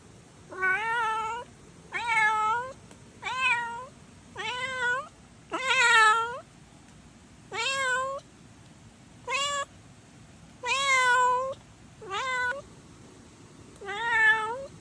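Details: A stray kitten meows again and again, about ten bright wavering mews in quick succession, each rising then dipping, with short pauses between and little else heard.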